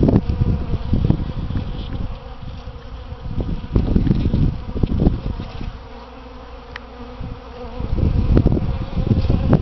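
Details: Several bees forage on potted Easter hyacinth flowers beside a front door in spring. They make a deep, droning hum, loud in bursts as bees pass nearby, with quieter stretches between the close fly-bys.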